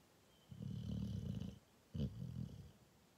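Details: Cane Corso dog snoring: a long, low, rumbling snore of about one second, then a shorter second snore after a brief pause, quiet room otherwise.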